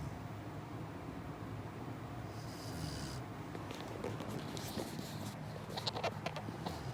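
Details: Murphy, a Chow Chow puppy, snoring while asleep at night: soft, breathy snorts over a steady low hum, with brief hissy bursts toward the end.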